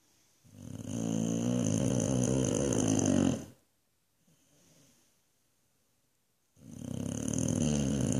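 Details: A Boxer dog asleep in Australia lets out a loud, rough, rumbling snore. After a quiet gap of about three seconds with only faint breathing, a second equally heavy, vibrating snore begins.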